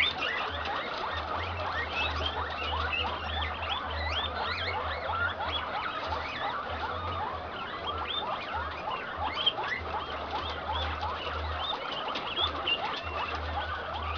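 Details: Improved Inti-line male guinea pig in heat mating with an improved Peru-line female on a farm in Peru; rapid, repeated chirping squeaks over a steady low hum.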